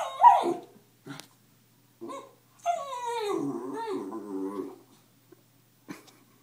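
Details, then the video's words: Female puppy Zippy facing her reflection in a mirror indoors: a sharp yelp opens, then short soft grunts, followed by a long quavering whine that slides downward, with brief clicks and taps between calls. "Puppy looking at herself in the mirror"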